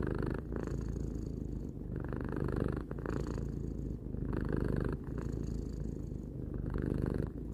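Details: Purring from a three-year-old house cat, a low vibrating drone pulsing with its breathing, louder airy stretches returning about every two seconds, with brief dips between breaths; quiet room, no other sounds.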